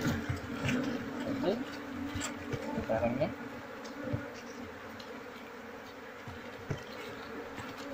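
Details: Honey bees being moved from a wild nest into a cultivation box, with the keeper seeking the queen so the colony follows. A steady low hum of many bees, joined by a man's voice in the first half and occasional knocks.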